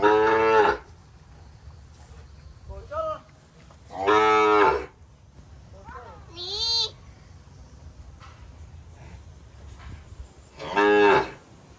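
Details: Young calves in a pen in rural Cambodia calling for their absent mothers: three strong, harsh moos spaced about four seconds apart, with softer rising and falling bleats between them and low background murmur.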